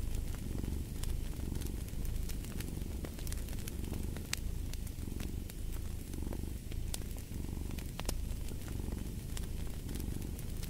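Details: Steady purring from a cat, a deep buzzing rumble pulsing in regular breath-length cycles, layered with dense crackling and popping of a burning fireplace.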